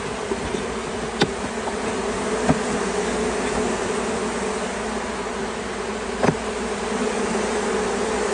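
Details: California honey bee swarm, queen with a mass of worker bees, being caught; a loud, constant humming drone of the swarm with three sharp clicks or knocks scattered through it.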